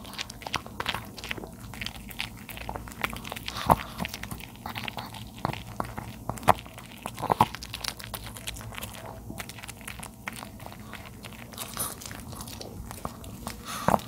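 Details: A 13-year-old male dog, Charlie, eats baby napa cabbage in a small room. Rapid, continuous crunching and wet chewing go on for the whole stretch, with occasional loud cracks.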